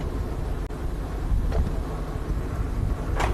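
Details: A steady low rumble of a vehicle engine and wind, with a couple of brief clicks and a short hiss, and no animal calls.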